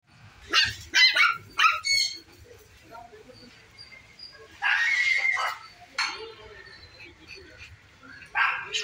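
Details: Poodle puppy in Hyderabad giving sharp, high yaps. A quick cluster of three or four comes in the first two seconds, then a longer rasping yelp near the middle and another at the end, with quiet gaps between.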